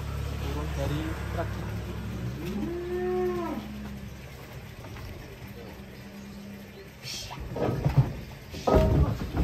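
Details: Giant cow being unloaded from a truck lets out one deep, swelling moo that rises slightly, then holds a long, steady low drone for several seconds; constant engine-like hum underneath, with clattering knocks near the end.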